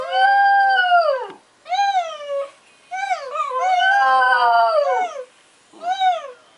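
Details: Alfie, a pet Border Terrier, howling indoors after being taught the trick by a person whining at him, his first ever howls; long wavering tonal howls near 600 with rich harmonics, bending down at the ends, in four bursts with short gaps.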